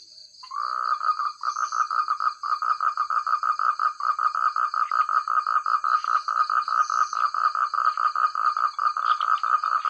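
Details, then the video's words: Loud, clear croaking from a chorus of frogs in countryside rice fields, starting after a short pause and continuing as a fast, steady pulse of repeated calls, with a faint high-pitched insect-like hum behind. "Suara katak terbaik,rame ,keras dsn jernih"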